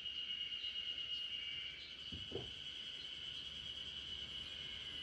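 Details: Backyard chorus of spring cicadas, a continuous shrill ringing tone as a lullaby for the sleeping Great Pyrenees RunRun. A couple of soft low thuds break in around the middle.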